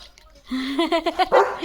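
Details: German Shepherd dog on guard at home as a parcel arrives, giving a short run of rapid, rising barks and yelps, about five bursts in a second, with a woman speaking just before.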